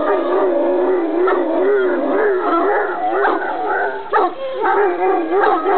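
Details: Irish Wolfhound howling in greeting: a loud, wavering, continuous howl with pitch rising and falling in repeated undulations, rough harmonics above, and a brief break near the end.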